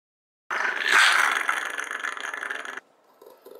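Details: Two-year-old pet Shiba Inu protesting as its teeth are brushed: one long, rough, noisy growl of about two seconds that swells early and then fades gradually before stopping abruptly.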